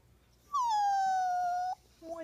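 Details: Sad poodle named Buddha lets out a long, clear, high whine that drops slightly and holds steady for over a second, followed by a person's voice.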